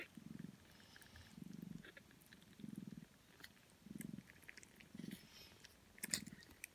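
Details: Sixteen-day-old Sphynx kittens nursing from their mother, purring and suckling noisily; soft low rumbling pulses return about every 1.2 seconds over a quiet background, with faint clicks near the end.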